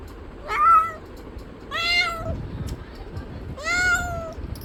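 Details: Three drawn-out cat meows, the middle and last ones longer and bending downward at the end, spaced about one and a half seconds apart over faint low background noise.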